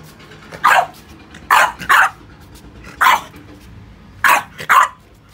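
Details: French Bulldog at play with rubber toys, giving six short, sharp, mid-pitched barks in about five seconds, several in quick pairs, over a quiet background.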